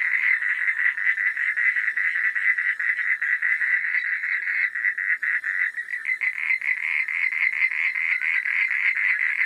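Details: Frogs at night croaking en masse, a continuous rattling mid-pitched chorus of fast pulses; around halfway the rhythm loosens into more distinct beats before thickening again.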